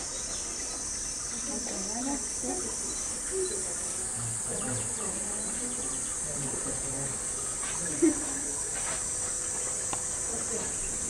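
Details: Cicada singing in July at Ueno Zoo's gorilla area in Japan: a steady, high, shrill drone held without pause throughout. People talk quietly underneath.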